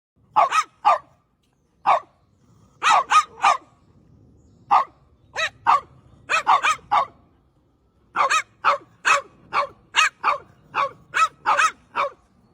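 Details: French Bulldog barking while playing: sharp, short barks in quick bursts of two to four, about twenty barks in all with brief pauses between groups, over a faint low background rumble.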